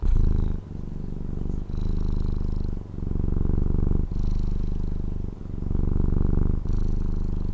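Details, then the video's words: Pet cat in Taiwan purring close up, a dense low buzzing rumble broken into roughly five long breath phases, each ending in a brief dip before the next swell. "Satisfying Cat Purring ASMR | Relaxing Cat Purring Videos"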